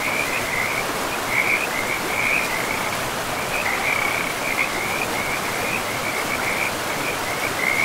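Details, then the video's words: Frogs calling by a river in a pristine forest with moss-covered land; a steady chorus of short trilled notes repeats constantly at one mid-high pitch over the broad hiss of flowing water. "River and Frogs sleep sounds"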